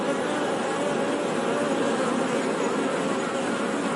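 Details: Honey bees buzzing: a dense, steady hum with a few soft tonal bands low in pitch, holding level throughout without pauses or other clear sounds.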